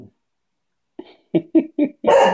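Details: Cocker spaniel Coco at play with a ball lets out a string of short, low huffing grunts, four in quick succession, then bursts into one full, loud bark.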